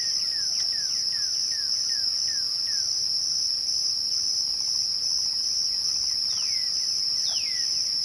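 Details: Twilight crickets give a constant piercing trill. Quick downward-sliding whistles repeat rapidly for the first three seconds, and a few more follow near the end.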